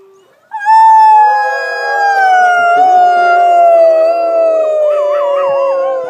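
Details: Wolves howling at a sanctuary: a long sustained howl gently descending in pitch, joined partway through by a second wavering, higher howl overlapping it, giving a layered chorus.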